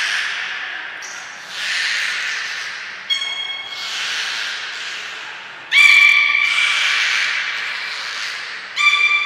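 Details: Captive belugas Hodoi, Gray, Nana and Nico during a training session at Port of Nagoya Public Aquarium on 5 June 2021: squawky, harmonic tonal calls in several bursts, including a sharper, brighter call near the end, over a hiss of background noise.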